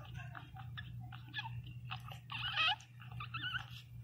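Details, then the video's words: Newborn Pinscher puppy named Teco crying very loudly: bursts of shrill, wavering squeals, strongest near the middle, mixed with soft wet clicking and smacking sounds over a steady low electrical hum. "Som de cachorro Pinscher 0 ressenacido chorando"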